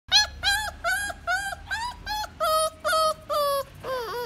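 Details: Dog in a pet shop gives a run of about nine clear, high-pitched whines, each short and slightly falling, repeated roughly twice a second, the last one wavering lower; faint low hum underneath.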